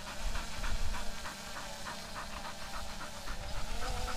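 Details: Bernese Mountain Dog named Bella panting, quick breathy bursts repeating roughly three times a second throughout, over a steady low rumble in the background.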